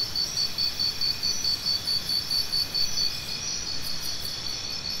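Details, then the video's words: A cricket chirps in a rapid, regular train of bright high pulses, about two or three each second, throughout, set against a dense shimmering insect chorus and a soft low hum. "Cricket Sounds"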